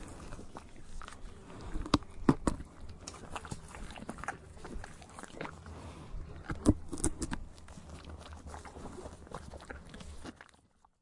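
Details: A horse chews tree bark in scattered crisp bites and crackles, several sharp snaps standing out, before the grinding fades into near silence at the close.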